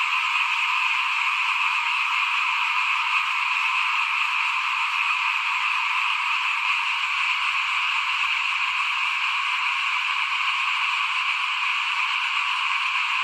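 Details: Frogs calling in front of a home while rice is being sown, 2021: an unbroken, high, rasping chorus of countless overlapping voices, steady in volume, with a faint low rumble partway through.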